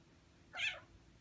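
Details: Six-month-old Ragdoll cat meowing indoors while blocking a computer screen during keyboard work; a single short, bright meow of about a quarter second, rising then falling, against a quiet room.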